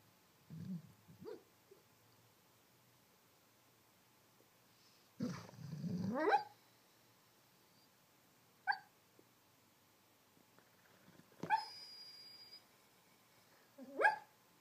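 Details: Apollo, a pet dog, barking in his sleep: muffled half-barks, soft woofs and whining yips come in irregular bursts, some longer and rising, with quiet gaps between them, indoors.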